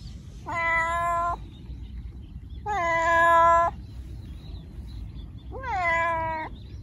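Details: Domestic cat meows meant to attract other cats and make a pet come: three long, clear, steady-pitched meows spaced about two seconds apart over a quiet background.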